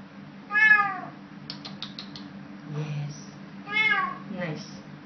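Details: Eating cat in Woodlands, 06/07/2012: two bright, harmonic meows about three seconds apart, with small clicks and rustles between them, a low steady hum, and a person's voice nearby.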